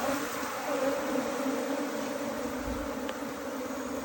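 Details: Asian honey bee colony being rescued from a canal, giving a steady, dense droning hum of many bees with layered low tones, unbroken and even in loudness for the whole four seconds.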